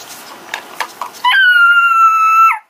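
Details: Pocket Beagle indoors signalling that it is his turn for the kibble bowl: after a few soft taps, one sustained, steady howl held about one second, ending abruptly; a person speaks afterward.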